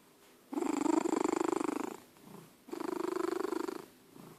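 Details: Old domestic cat asleep and snoring indoors: long rasping, fluttering breaths about a second and a half each, a loud inhale then a softer pause, repeated twice.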